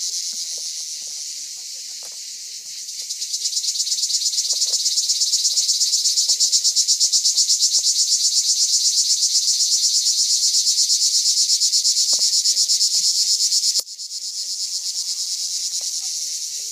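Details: Cicada (cigale de pin) recorded at Rivesaltes in 2013: a loud, high, hissing buzz pulsing about three times per second. It swells after a few seconds, holds steady, drops abruptly, then resumes softer.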